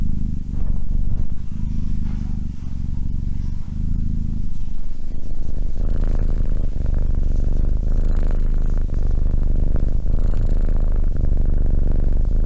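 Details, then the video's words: A cat purrs in low rumbling pulses: distinct breath-paced segments at first, then a denser, rougher continuous purr with some faint scraping or handling noise in the second half. "Cat purring"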